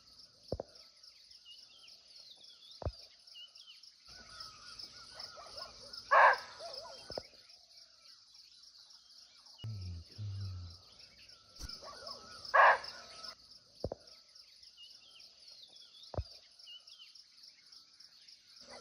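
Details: Muntjac, or barking deer, recorded live and unseen at close range in a Nepali forest, giving two abrupt, sharp barks about six seconds apart against a constant shrill insect chorus and occasional soft low thumps.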